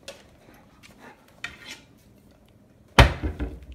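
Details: Indoors, soft knocks and clinks of cutlery and dishes end in a loud clatter, with no animal voice.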